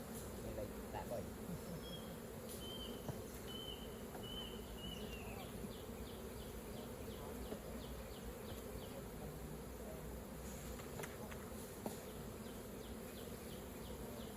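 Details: Bees humming continuously around a hive being opened for honey harvesting, a dense low drone throughout, while a bird's thin whistled notes repeat in the first seconds and faint ticking clicks follow.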